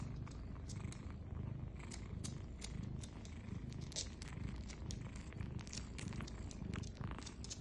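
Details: Nursing kittens with mother cat, low steady purring throughout, overlaid by sharp moist smacking clicks of suckling repeated several times per second.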